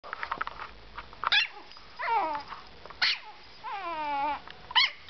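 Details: Yorkshire terrier making a mix of sharp yaps and drawn-out whining, falling barks, several short calls and longer wavering notes spread over a few seconds with soft background noise.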